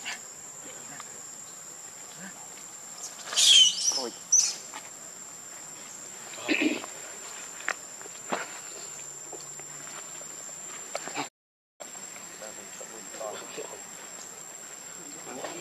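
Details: Hungry baby monkey Leo crying loudly as it begs its mother for milk: a burst of shrill, wavering, piercing cries about four seconds in, then a shorter squeal a few seconds later, amid soft rustles and a continuous thin high hum.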